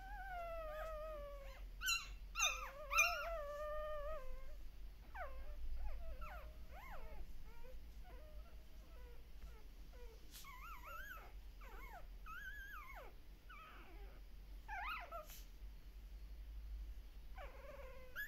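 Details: Puppies in the Netherlands crying while their mother is briefly away: a few long steady howls early, then shorter bent whines and yelps in bursts, a quieter stretch midway before more wavering cries.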